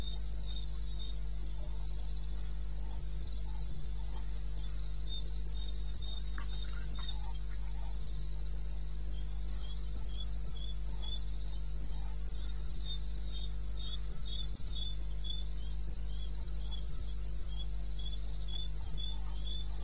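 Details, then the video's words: Crickets calling in the wilderness of eastern Botswana at 02:30 AM on 21 May 2016: steady, high pulsed chirps about four per second, with a second, lower chirping voice beneath, over a constant low rumbling hum. "1 Hour cricket sound-Africa"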